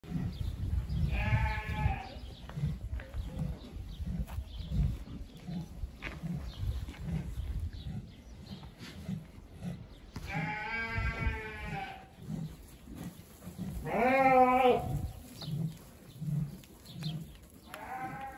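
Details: Dorper breeding rams at the 2023 San Marcos livestock expo, bleating in four separate wavering, harmonic-rich cries of one to two seconds each, set against a steady low thudding and hum from the showground.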